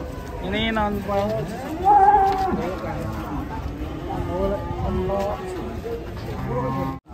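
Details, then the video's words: Huge cattle coming down off a truck during unloading, three big animals in all. Low, drawn-out moos sound at the start and again midway, mixed with constant men's talk and shouting. "PROSES SAPI MONSTER TURUN DARI TRUK HEBOH 3 EKOR BESAR SEMUA"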